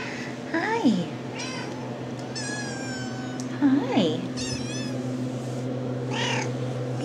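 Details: RagaMuffin kittens of the Shrek litter, 10.5 weeks old, just woken from a nap, give several thin, high meows, one long and falling, spaced a second or two apart, over a steady low hum while a woman greets them softly.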